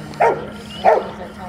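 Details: Rottweiler puppy, 10.5 months old, during a bitework training session: two short, sharp barks about two-thirds of a second apart, with a faint background hum.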